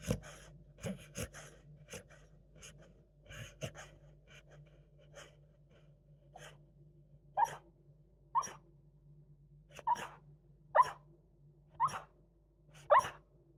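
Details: Merlot, a pet Beagle, asleep during a daytime nap, snoring and sleep-talking: soft breathy snorts at first, then louder rasping snores with a nasal mid-pitched tone, repeated roughly once a second, in a quiet indoor room.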